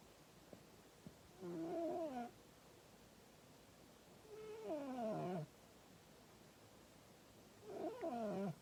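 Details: Scampi, a female pet cat asleep indoors, snores with three strong, whistly rasping breaths that swoop downward, evenly spaced about three seconds apart, over a faint room hiss.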